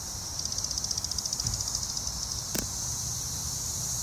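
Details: Cassin's 17-year cicadas of Brood XIII, a chorus of singing males heard behind a mating pair on a green ash trunk in Arrowhead Park, Naperville, Illinois, June 20, 2024: steady high hissing drone with a rapid pulsed ticking early on, then one sharp click.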